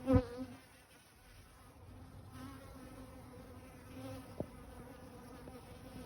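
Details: Bees, tagged as honeybees, at a garden barrel pond give a continuous low, droning buzz rich in overtones that swells and fades slightly, with a sharp thump at the start and a brief click near the end.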